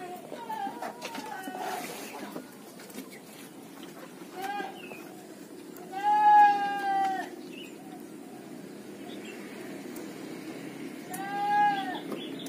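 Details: Etawa goat, a young male picked as a future breeding buck, gives two loud wavering bleats about five seconds apart, each a nasal quavering cry, with a fainter short bleat earlier and steady low rustling and hum behind.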